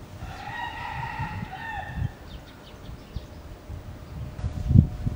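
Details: Japanese macaques at Tama Zoological Park, Tokyo, Japan, in February 2017; one drawn-out tonal call of about two seconds, steady then dipping at the end and rich in harmonics, over low rumbling background noise with a few soft knocks.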